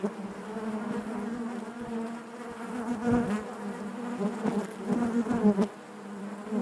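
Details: Inside a honey bee hive, a continuous droning hum fills the air, rich in layered harmonics, with small surges in loudness as individual bees come close.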